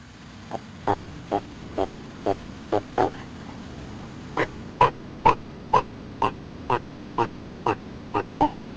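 A tortoise gives short, hoarse grunts, about two per second, in a steady rhythm over a low background hum.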